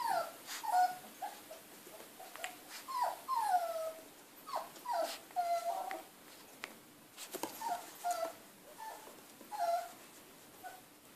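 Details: Three Siberian Husky puppies from a breeding kennel playing together; high, short whines and yips, falling in pitch, come in quick bursts with brief pauses, plus rustling and scuffling of play.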